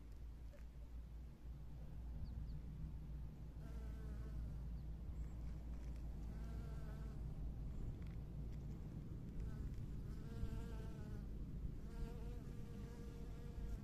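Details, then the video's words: Honey bees working among spring flowers; a droning harmonic buzz swells and fades as bees pass, around four, seven and eleven seconds, over a steady low rumble. "봄꽃속에서 일하는 꿀벌"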